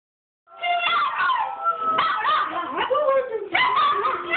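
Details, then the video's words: Several dogs howling together as a singing pack, overlapping wavering tones that rise and fall, with sharp yips breaking in around the two- and three-and-a-half-second marks. "Singing dog pack"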